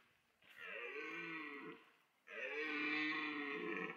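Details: Red deer stag during the autumn rut in a French wildlife park, roaring to attract females: two long, harmonic, bellowing roars, the second louder and sustained, separated by a short pause.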